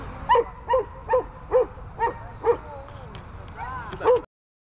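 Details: Barking from Glemmy, a dog beginning training to bark at game: a steady run of clear, evenly spaced barks, roughly two per second, with one longer whining call near the end.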